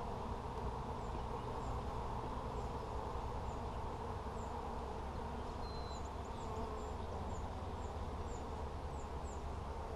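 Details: Honey bees humming around capped, honey-filled frames during a hive check on 17 July 2020: an unbroken, low buzzing drone throughout, with faint, thin high bird chirps scattered in the background.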